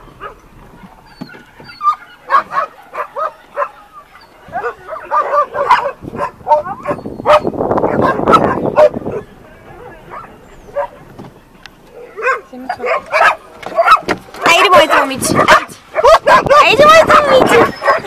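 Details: A dog greets with excited barks, yips and whines, some at high pitch, in irregular bursts separated by short pauses, with a person speaking Bulgarian nearby.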